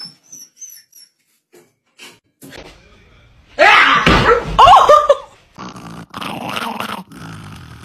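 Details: Dog in a funny compilation, giving a loud harsh growling burst mixed with short tonal yelps in mid-clip, then rougher noisy sounds to the end; only faint scattered noises before it.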